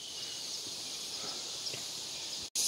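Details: A cicada (garengpung) near a village in Indonesia sings a steady, shrill, high-pitched buzz without a break, heard as a sign of the season changing from rainy to dry.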